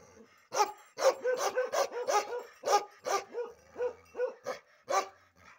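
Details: Short burst from an aggressive Bakharwal dog having its ear and tail hair cut: a quick string of about a dozen loud, rough barks, some running together at the start.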